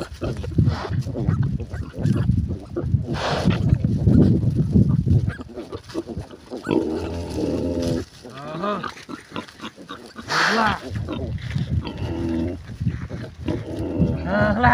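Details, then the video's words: Mother pig with piglets on a village pig farm: deep continuous grunting, then squeals and harmonic calls from the young, with background music and a man's voice. "MOTHER & BABY PIGS"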